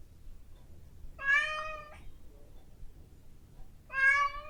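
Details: Female pet cat meowing indoors at 7 in the morning, asking for her breakfast, captured on a Zoom H5 portable recorder: two drawn-out, clear, harmonic meows about three seconds apart, the first steady then dropping, the second cut short at the end.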